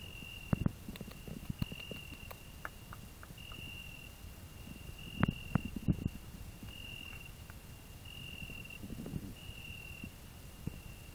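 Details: Cricket on a rose bush, singing near a grasshopper while a hedgehog rests under the same bush; a high, pure, even tone comes in regular long pulses about once a second, with occasional clicks and rustling beneath.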